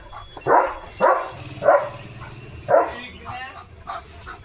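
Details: Leo the German Shepherd giving four sharp, loud barks roughly every half second or so, then quieter sounds, with a person speaking in the background.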